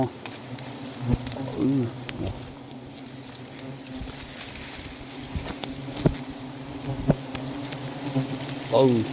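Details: Giant honey bees buzzing while wild nests are sought along flowering eucalyptus, a low white nest found; steady low drone with scattered sharp clicks and brief rising whines, a man speaking at times.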